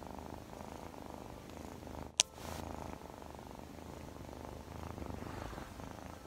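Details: Scottish Fold kitten purring indoors, a steady low rumbling texture throughout with a brief sharp click or tap near the middle.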